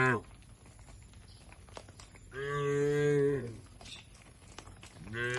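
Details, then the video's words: Tame cattle in a shed in a rural setting, one long moo of about a second with a steady tone, plus brief calls cut off at the start and end, over a quiet background with faint clicks. "Suara Sapi Moo"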